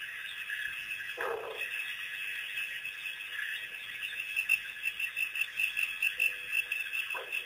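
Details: African wild dogs (painted dogs), a pack released by researchers on April 5, 2008, on their first visit to Pete's Pond: two short, harsh yelp-like bursts, one early and one at the end, over a steady chorus of insects and birds.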